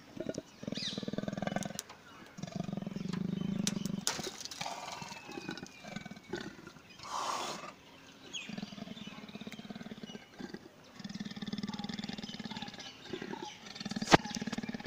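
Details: Captive Indian leopard, Chhatbir Zoo: repeated low, throaty pulsed rasps, each bout lasting a couple of seconds and separated by short pauses, over background chatter from onlookers.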